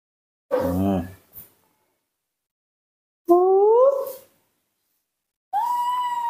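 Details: Young female monkey asking for milk in the morning, giving three tonal cries: first a wavering, quavering wail, then a smooth upward-sliding call, then a steadier high cry, with short silences between them.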